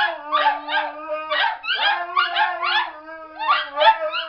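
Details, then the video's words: Siberian Husky trained to sing, howling with two other dogs as backup: a steady low drawn-out tone under overlapping wavering, yodel-like howls that rise and fall in short bursts about every half second. "the Singing Siberian Husky"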